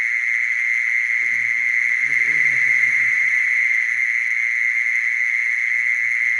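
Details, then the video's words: Continuous shrill buzzing of a mole cricket, one constant pitch without pauses, with soft low-pitched murmuring sounds drifting in and out around the middle. "Mole cricket sound"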